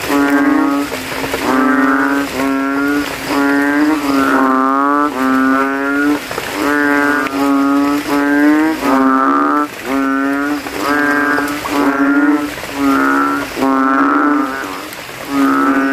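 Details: Banded bullfrogs, many males calling at night in a rainwater puddle at a cemetery after rain, inflating throats, competing to be loudest; deep harmonic-rich droning notes about a second long, repeated rapidly with brief gaps, overlapping callers.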